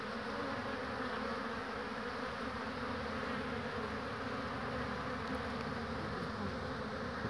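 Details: Many honey bees humming around hives on 22 March 2019, tired foragers arriving with pollen: an even, continuous buzz with no break, thick and droning throughout.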